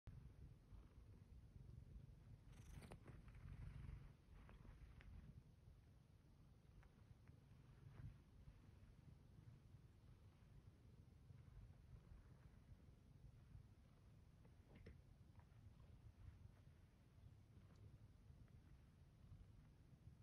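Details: Zeke, a pet cat, purrs while kneading a blanket in bed on a morning he was not ready to get up after the alarm; a steady low rumbling purr runs throughout, with a brief rustle near the start.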